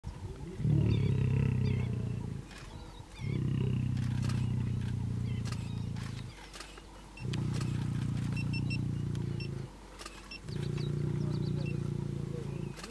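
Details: Wild lions mating in the Masai Mara, Kenya: deep rumbling growls come in four long sustained bursts of two to three seconds each, separated by brief quieter pauses, with faint background hiss.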